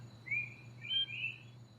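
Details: A Barbados whistling frog, a Caribbean native, gives high, clear whistled notes, each sliding slightly upward, over a low steady hum. It is heard alongside the trilling of a phantasmal poison frog and a Puerto Rican endemic frog.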